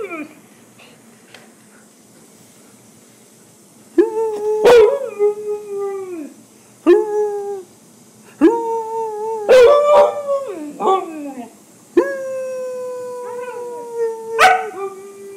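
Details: Buckles, a pet husky, howls indoors in a small room while talking to his owner about his day: quiet opening, then drawn-out wavering howls, each about two seconds, starting near four seconds and returning roughly every two to three seconds.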